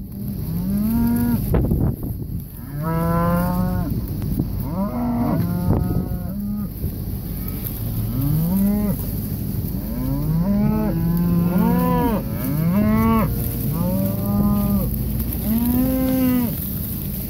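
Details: Red Angus cow-calf pairs in Kansas mooing. Several animals give deep, drawn-out moos with bending pitch, overlapping and following each other every second or two, against a steady low rumble.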